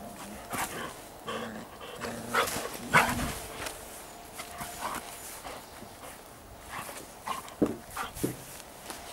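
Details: Giant Schnauzer puppies from the Blackmoore N litter: short, low, tonal whines and barks bunch together around two to three seconds. Scattered softer yips and bumps follow through the rest of the stretch.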